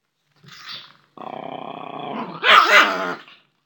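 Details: Russian Toy Terrier puppies eating food: a soft breathy huff, then a steady, harmonic growl lasting about a second that swells into a short, snarling bark before fading to silence.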